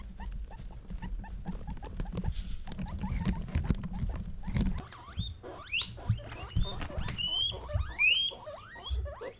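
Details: Three female guinea pigs (Peruvian, English and Teddy) kept as pets, vocalizing to show emotion. Low rustling and soft notes come first, then a burst of piercing, upward-sweeping whistled squeals repeated several times.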